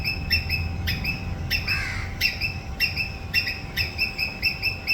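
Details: A squirrel gives sharp, high chirping screeches in quick pairs and short bursts, repeated about every half second. A steady electrical hum and low rumbling background noise run throughout.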